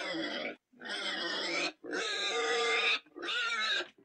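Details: Four loud harsh pig squeals, each about a second long and shrill, separated by short silent gaps.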